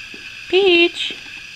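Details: Two-week-old puppy, eyes just opened, heard indoors in the morning: one short, steady, tonal whine lasting about a third of a second, with faint room noise around it.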